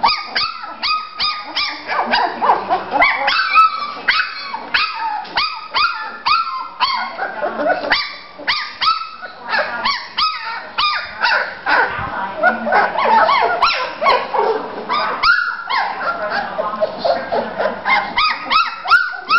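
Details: Three-week-old Bulldog pups having fun in Florida, giving rapid strings of short, high, squeaky barks and yips from several puppies at once, almost continuous for the whole stretch, with brief scrambling noises between bursts.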